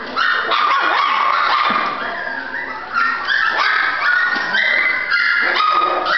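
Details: Persistent high-pitched whines and yips from a female Golden Retriever puppy, repeated roughly three times a second in an irregular, overlapping stream of whimpering notes.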